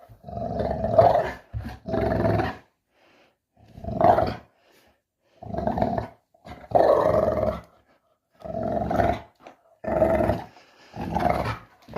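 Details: Puppy at play growls in about nine short, harsh bursts of roughly half a second to a second each, with irregular silent gaps between them.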